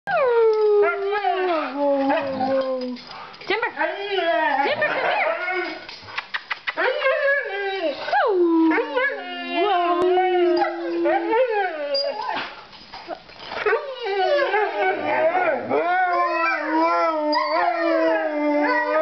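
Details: Several puppies, called snow dogs, howl together: overlapping wavering howls that slide down in pitch, broken by short yips and whines, with voices rising and falling against one another throughout.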